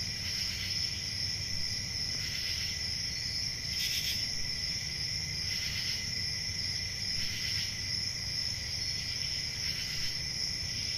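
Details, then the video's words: Nighttime forest crickets in summer: a constant shrill trill beneath recurring louder buzzy pulses roughly every one and a half to two seconds, about six in all, with soft low-frequency rumble. "Relaxing Cricket Sounds For Sleep Ambient Summer Night"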